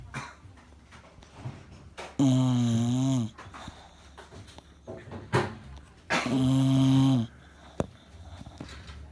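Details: Sleeping bulldog snoring loud enough to sound like noise, indoors in a small room; two long, rasping, buzzy snores about a second each, roughly four seconds apart, with soft breathing and faint room noise between them.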